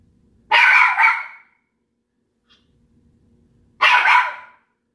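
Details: Pet dog barking at another household pet indoors: two loud, harsh single barks about three seconds apart, each with a quick double pulse, separated by near silence.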